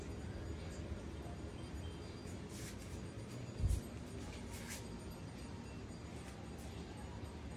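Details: A quiet indoor room with a low steady hum, a few faint clinks and one brief thump near the middle, and no animal voice.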